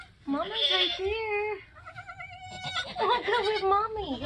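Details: Nigerian Dwarf goat in labour on a homestead during kidding season, giving long, loud, quavering bleats, one held steady, another swooping down at the end, with background voices.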